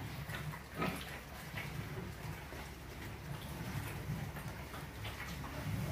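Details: F1 crossbred pigs raised for breeding sows in Orobó, Pernambuco, Brazil, giving soft, low grunts scattered through the clip over a steady background hum, with a brief louder knock near the first second.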